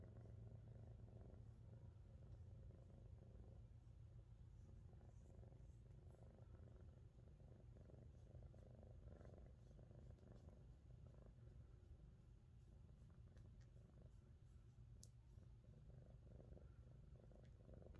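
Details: A blue-coated female Scottish Fold cat (Felis catus) purrs steadily, a low continuous rumble with a soft pulsing rhythm.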